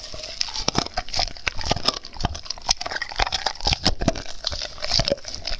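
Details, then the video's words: Raw food being eaten by a dog: crisp bites and crunches come roughly every half second amid continuous wet mouth noises, heard close up. "Dog Eating Raw foods"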